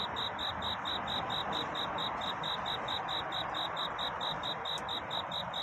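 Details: Night cricket courtship song before dawn: a bright, high chirp repeated steadily around twice a second without pause, carried over constant soft background hiss.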